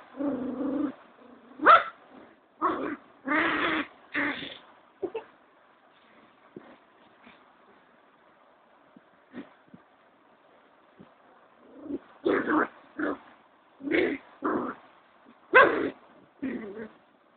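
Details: A cocker spaniel in Kolkata gives bursts of sharp, clipped barks with short pauses between groups.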